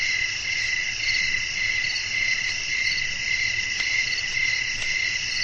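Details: Crickets chirping in a relaxing night-time nature recording meant for sleep. Shrill, layered trilling holds steady with soft pulsing, two faint clicks in the latter half, and a low hum in the background.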